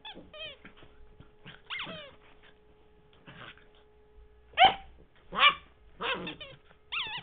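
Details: Henry, a puppy in 2009, playing with his favourite squeaky toy, Mr. Squeaky: a few short, sharp yips and barks among repeated high, falling, whistle-like squeaks from the toy, with quiet gaps in between and a steady electrical hum underneath.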